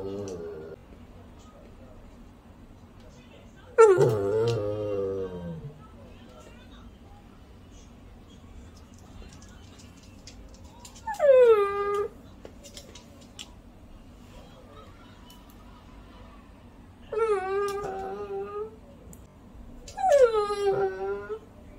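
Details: Shih Tzu; begging whine; begging for tasty food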